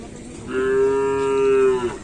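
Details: Cattle at Asemanis field, Pamekasan, during full training ahead of a Kerapan Sapi bull race. One strong, level moo, rich in overtones, holds for about a second and a half above a low background hum of the crowd.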